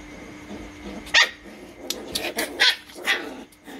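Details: Litter of one-month-old Rottweiler puppies from Loki Gervi, playing and biting each other's tails: several sharp, high yapping barks in quick uneven succession over a steady electrical hum, with faint rustling between the bursts.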